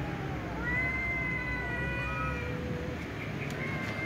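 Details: Domestic cats meowing pitifully at meal time; thin, long, faint meows holding a fairly level pitch, partly overlapping, against a noisy low background hum.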